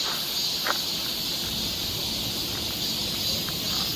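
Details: Continuous high buzzing of cicadas in a Korean summer forest near Seoul, steady and unbroken, with a few brief ticks or knocks in the foreground.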